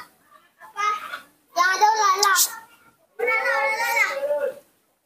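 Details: Young monkey named Nomi calling out while his father is away, in a small room: three drawn-out harmonic coos, each steady and slightly wavering, the last lasting over a second, separated by brief pauses.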